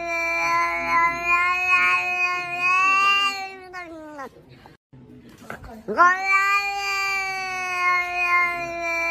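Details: House cat producing long, drawn-out wailing yowls, rich in harmonics and sustained for several seconds, breaking off with a downward slide, a brief pause, then resuming with a rising sweep into another prolonged cry.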